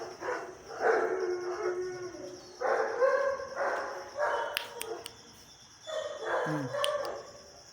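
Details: Young dogs held for sale in India give drawn-out whining howls, several wavering harmonic cries spread across seven seconds with short pauses between them. A low human voice is briefly audible near the end.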